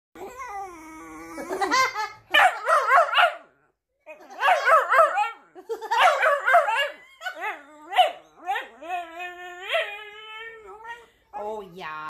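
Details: A female puppy howls at a Woody Woodpecker cartoon in long, wavering, rising and falling tones broken by quick yips, mixed with the cartoon's rapid staccato laughing.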